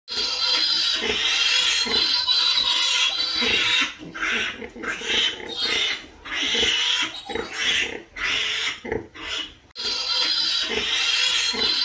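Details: Pigs squealing loudly in long harsh bursts broad across high pitches, with shorter grunting gaps and quieter stretches between the screams, several animals calling over one another.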